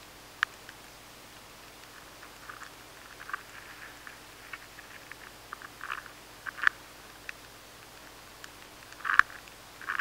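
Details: An adult maize weevil nibbling steadily inside a grain of stored maize, faint, irregular dry clicks and scratches, in a high-sensitivity stored-product recording.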